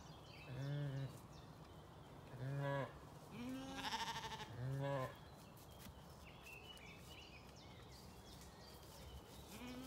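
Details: Zwartbles sheep and lambs on a County Kilkenny farm in Ireland calling while being fed breakfast on an early summer morning: four low, nasal bleats in quick succession, then a fainter one, with a man speaking gently to the flock.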